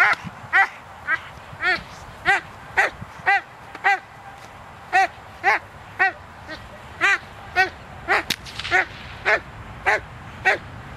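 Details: Doberman Pinscher Zita barking during protection training on 24 November 2009: loud, harsh barks repeated roughly twice a second in steady bursts, with a sharp crack near the end and a handler calling German commands.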